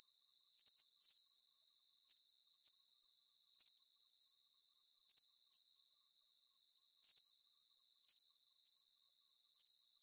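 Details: High trilling cricket chirps arrive in grouped bursts about every half second, rising and fading slightly in loudness, layered over a soft, continuous high-frequency insect drone.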